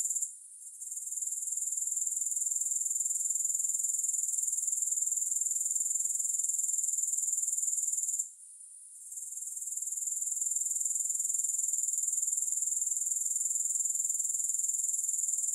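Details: Grasshoppers chirring with no music: a continuous high sizzling trill of quick regular pulses. The sound fades briefly near the start and again just past halfway, then swells back to full strength.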